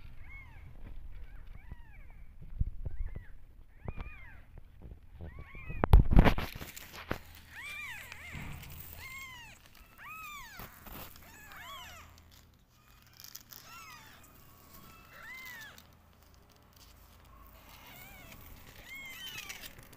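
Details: Domestic cats, a mother and her kittens feeling unwell after antibiotics, giving repeated short arched meows, a few early then a dense run of overlapping calls after a loud thump near six seconds, with rustling and handling noise throughout.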